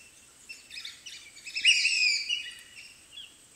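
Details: African wild dog puppies at their den give a busy burst of high, squeaky twittering and chirping, several overlapping notes swelling to a peak midway and then fading into scattered chirps.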